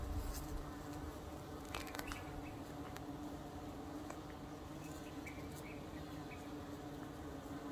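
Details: A yellow carpenter bee feeding on eucalyptus flowers gives a steady, low, droning buzz that holds one even pitch throughout. Carpenter bee.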